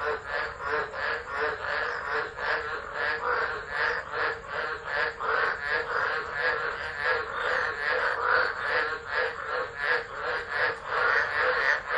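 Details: Northern Territory tropical frogs at Driver, Australia, singing in a December 2013 tropical low, phone recording; continuous massed croaking with fast repeated pulses and gentle rises and falls in volume.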